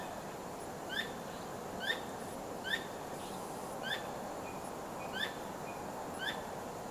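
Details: Squirrel calling at night while wagging its tail nonstop and not trapped: short, sharp, ringing chirps with a downward flick, given about once a second over a steady background hiss, with a few faint thin whistles between.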